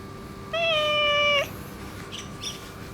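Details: Orange tabby boss cat ruling an area, extra affectionate after being neutered, gives one long steady meow lasting about a second, level in pitch with rich harmonics, followed by soft faint sounds and a constant background hum.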